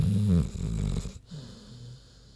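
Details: Big pig Queenie snoozing: one loud low rasping snore that fades into a soft wheezing exhale.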